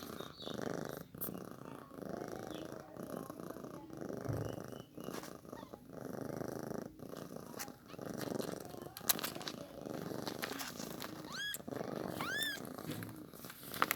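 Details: Newborn kitten being fed milk: continuous pulsing purr-like rumble through most of the recording, then two short, clear arched mews with bright harmonics near the end, plus scattered clicks and handling noises.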